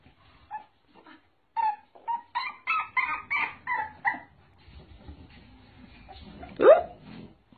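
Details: Dog in a compilation of funny dog moments: a run of short, high, tonal yips and whimpers in quick succession, then quieter rustling and one sharp rising yelp near the end.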